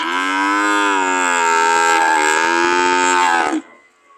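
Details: Cows ready to leave, one giving a single loud, long, steady moo of about three and a half seconds with a slightly rough texture, ending abruptly into quiet.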